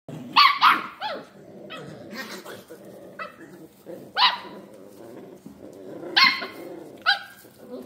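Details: Scottish Terrier puppies playing together: short, sharp, high-pitched yapping barks in scattered bursts, about five strong ones, with softer grumbling and rustling between them.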